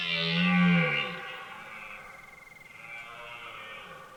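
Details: Red deer stag roaring during the autumn rut at night in a forest near Hourtin, France: a deep, throaty rutting roar echoing into the distance.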